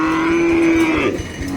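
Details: Cattle at a market in Dinajpur, Bangladesh, where animals are bought for Qurbani: one long, steady, low moo that bends downward at its end, over constant crowd and market hubbub.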